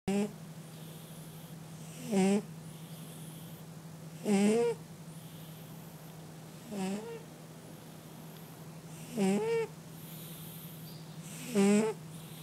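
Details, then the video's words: Sleeping domestic cat snoring indoors: a squeaky, nasal wheeze with a rising whistled tone, repeated about every two and a half seconds, over a steady low hum. "Котэ храпит)))"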